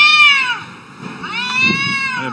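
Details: Domestic cats arguing: two drawn-out, harmonic-rich yowls, the first sliding slightly downward, a brief dip, then a second long wavering wail, with low rumbling noise beneath.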